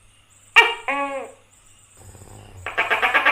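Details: A tokay gecko (Gekko gecko) in India gives loud, nasal, bark-like call notes over a thin, steady high hiss.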